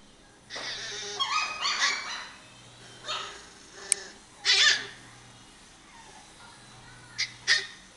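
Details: A dog giving a few high, whining whimpers and short yelps in bursts around one, two, three and four and a half seconds, then two brief sharp yips near the end, over a low steady hum.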